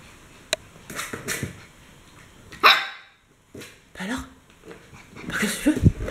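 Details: Five Akita Inu puppies playing indoors in a house at a kennel in July 2016: short sharp yips and barks in scattered bursts, with thumps and a person speaking French nearby.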